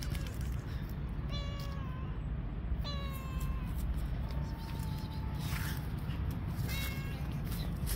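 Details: Street cats on a park bench meow while waiting for food: clear harmonic meows, one longer drawn-out flat mew near the middle, and a short final call, set against constant low-frequency background hum outdoors.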